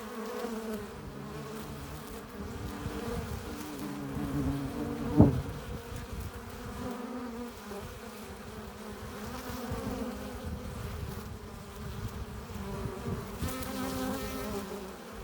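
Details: Low, thick droning of a busy honey bee hive entrance, bees returning with pollen and nectar; steady layered buzzing with one sharp, loud close pass around the middle and brief tonal swells later on.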